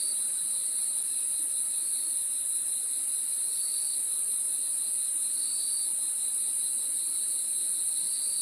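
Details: Night-time crickets calling together, a continuous piercing high-pitched trill with a slightly wavering lower layer that swells every second or two. Nothing else intrudes.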